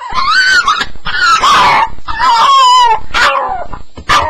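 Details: Staffie on its first night in a new home, crying steadily: loud, tonal whines that bend and waver, with rising and falling yelps joined almost without a pause.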